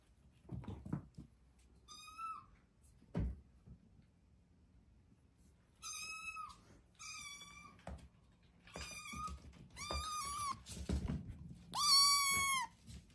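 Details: Cat repeatedly mewing in a quiet room, shrill, short meows coming faster and louder toward the end, preceded by a few knocks and taps.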